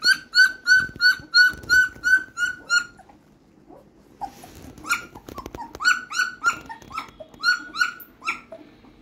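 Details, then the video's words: Newborn litter of German Shepherd puppies at 15 days old crying in a steady run of shrill, slightly rising squeals, roughly three per second, broken by a few seconds of rustling and clicks before the cries resume. "15 Days old German Shepherd Puppies."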